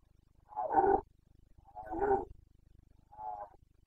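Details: Carpathian red deer stag roaring during the breeding season in Bucovina, 29 September 2022: three harsh, rasping bellows about a second apart, the last shorter and softer, over a low steady background hum.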